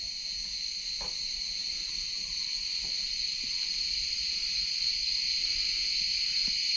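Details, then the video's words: Many crickets chirping at the Phaselis ancient city in Antalya, Turkey, beside the Mediterranean: a steady, continuous high-pitched trill without pause, with a few faint clicks and taps beneath it. "Burada cırcır sesini dinleyin. Bol bol cırcır sesi var. Cırcır böceği."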